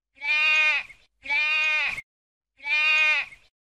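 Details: Three quavering baas from a sheep, clear and bright, two in quick succession followed by a gap and a final bleat.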